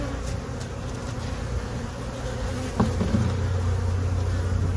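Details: Colony of honey bees in a hive box settled since April 29, 2022, disturbed by an inspection: dense, low continuous humming, with a clunk midway after which the buzz swells slightly louder.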